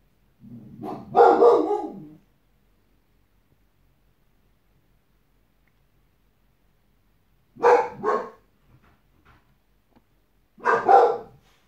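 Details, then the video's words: Boss, a white Boxer dog guarding, gives a loud rough bark with a growly lead-in, then after a long pause two more sharp double barks spaced about three seconds apart, in a quiet room. "Boxer dog guarding instinct"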